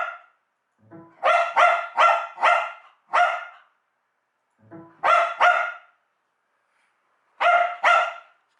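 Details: Pet dog Duoduo barks angrily at a computer's USB plug/unplug sound effect, which it hates. Short electronic tones set off bursts of loud, harsh, harmonic barks: five in quick succession, then two pairs, nine in all, with silent gaps between bursts.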